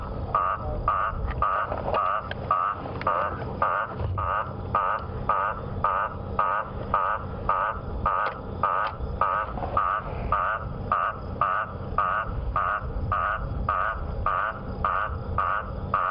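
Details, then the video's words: An Eastern olive toad (first thought to be a guttural toad) calls at sunset on a humid, threatening-rain evening, 26 Oct 2015, in South Africa's Djuma area: very loud, harsh croaks about twice a second over engine rumble. "that frog is incredibly loud"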